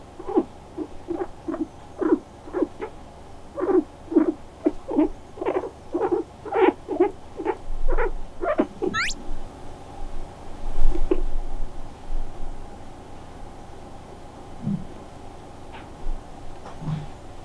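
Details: Pet guinea pig that comes over to be stroked and loves being petted. It gives a run of short, low chirping squeaks about every half second for nine seconds, one brief rising squeak, then quieter pauses, and a person speaks softly.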